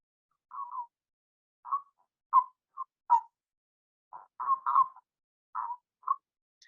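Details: A male common toad (Bufo bufo), in the UK, calls from within a pond with short, soft croaking notes, spaced unevenly; females make few sounds.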